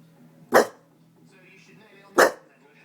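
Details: Two loud, abrupt barks about one and a half seconds apart from a pet Staffordshire Bull Terrier, quiet room tone and faint voices between them as its owner eggs it on.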